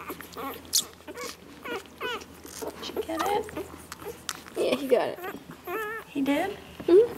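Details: Day-old Labrador Retriever puppies, Lily's newborn litter, recorded 01/04/2012 indoors, giving a rapid run of high, wavering squeaks and little rising-falling whines, some bending sharply upward, with a person talking softly in between.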